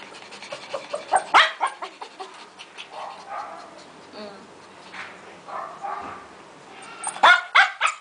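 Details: Shih Tzu Chandler meeting his mate Sahara for the first time, the pair put together in a cage for five minutes; scattered short barks and whimpers, with a loud burst of sharp yaps near the end, over people talking.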